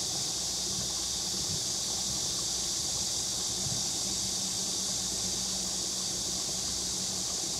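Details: A steady, high shimmering hiss of cicadas fills the hot summer air without a break, recorded on Nami Island near the Bukhan River in Gapyeong, Gangwon-do, Korea, alongside water and waterfall sounds.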